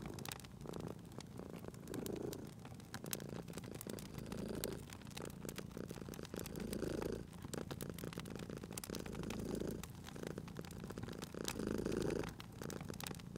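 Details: Cozy purring of a sleeping cat beside a crackling fireplace: a low, rumbling purr that swells roughly every two and a half seconds with each breath, while sharp pops and snaps of burning wood crackle throughout.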